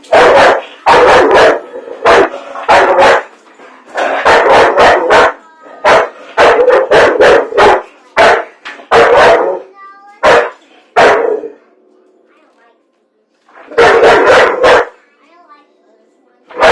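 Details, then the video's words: Pet dog that hates popcorn barking indoors in rapid runs of sharp broad barks, clustered bursts with a short pause before a final flurry, faint voices in the gaps. "Dog Hates PopCorn"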